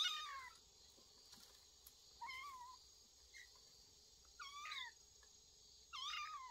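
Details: Cats of a family living in a woodpile, 25 August 2022, give four bursts of high, wavering meows, several doubled in quick succession, with pauses between, against a constant high insect buzz.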